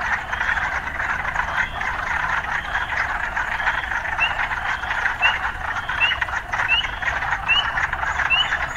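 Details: Steady pulsing frog chorus amid urban life, with bright rising chirps recurring roughly every half-second in the second half and a faint low hum early on.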